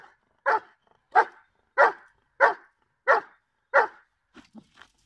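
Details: Barking from Giant Schnauzer Blackmoore Salazar in a July 2017 training session: six strong barks roughly two-thirds of a second apart, followed by a few faint, short yelps or whines.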